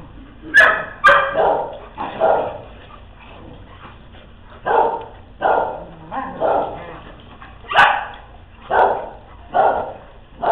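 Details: Several dogs at play barking over and over, a long series of short, muffled woofs with a few sharper, higher yaps mixed in, at an uneven pace.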